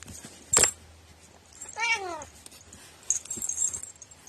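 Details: Domestic cat known for a strange, quirky voice gives a single drawn-out meow that sweeps up then down, framed by a sharp click before it and light rattling, jingling noises afterward.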